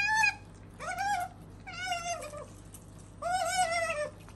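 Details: Sakura, a female pet otter kept indoors, voices four drawn-out, wavering harmonic calls of about half a second each, spaced by short quiet gaps in a small room.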